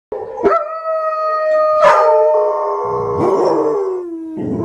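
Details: Dogs howling at a TV screen: long, sustained, wavering howls that overlap, holding steady pitches before sliding downward, with a brief sharp yelp near the start and another at the end.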